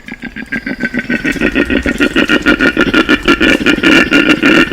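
A male koala bellows to attract females, a deep rasping, snore-like rumble pulsing about three times a second.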